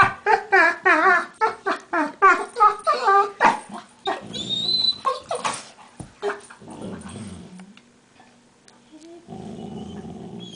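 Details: Playful scuffle between two pet dogs, Max and Leo, with smaller Leo producing odd monkey-like noises. Rapid series of wavering, yodel-like whining growls, several per second, then lower rumbling growls and a steady buzzy growl at the end.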